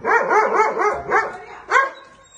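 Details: Dog barking at a nilgai: a rapid run of about five harmonic, arching barks, a short pause, then one last louder bark that trails off.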